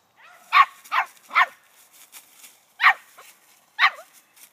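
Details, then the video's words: Eleven-week-old female puppy treeing on a hung-up dead squirrel, only the second dead squirrel she has seen; five sharp, high yipping barks come in quick bursts about a second apart, with faint rustling between them. "11 weeks old treeing on a hang up squirrel"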